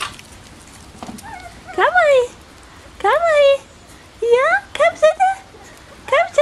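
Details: Bichon Frisé puppies from a small Danish kennel's litters O and P give high, rising whimpers and yelps in short bursts roughly every second, each sliding upward then falling, with soft background hiss between outbursts.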